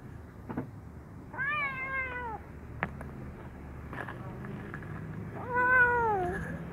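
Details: Brown kitten given fish sausage, happy but wary, calling with two drawn-out meows, one near the start-middle and another near the end, each harmonic-rich and falling in pitch, over low background hum.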